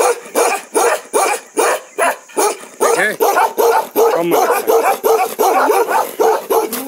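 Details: A Bakarwal livestock guardian dog of Jammu and Kashmir gives a Ladakhi-style "one breath bark", a rapid run of deep, harsh barks, about three each second.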